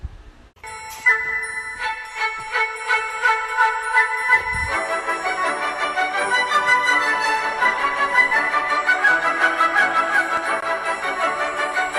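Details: Bright music with jingling bells and glockenspiel-like chimes plays throughout, with no animal sound heard.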